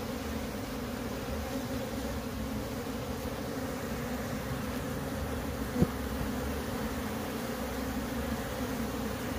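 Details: Wild bees from a split colony starting to enter a new box while the queen is set inside; a steady loud low drone holds throughout, with one sharp tap midway.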